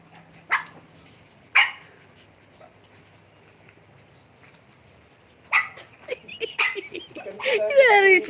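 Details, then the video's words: Mini Dobermans and Shih Tzus in a commotion: two isolated sharp barks a second apart, a quiet pause, then a rush of overlapping yaps and high whining yelps building to a loud, tangled finish. "Nagkagulo Ang Mga mini doberman at ang mga Shihtzu"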